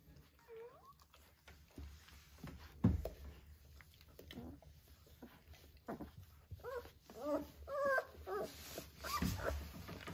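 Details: Three-week-old Vizsla puppies with their mother indoors, high thin whimpers and short rising squeaks in scattered bursts, busiest in the last few seconds, with a couple of low thumps and soft rustling.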